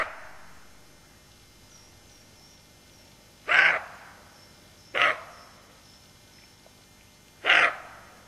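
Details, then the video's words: An alert roe deer doe with her fawn gives harsh, hoarse barks, three short bursts spaced a couple of seconds apart. "Aboiement du chevreuil.wmv"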